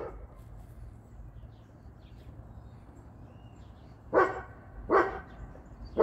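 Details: A dog from a trio of a Boerboel (South African Mastiff), an American Bully and a Serbian Defense Dog barks. About four seconds of quiet low hum, then three hoarse, evenly loud barks less than a second apart.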